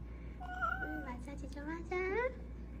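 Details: Donggeuli, a cat with laryngeal paralysis and a possible seizure, gives a series of drawn-out, strained meows indoors. Tones hold steady and then waver, and the clip ends in a louder, rising wail. A low background hum is also heard.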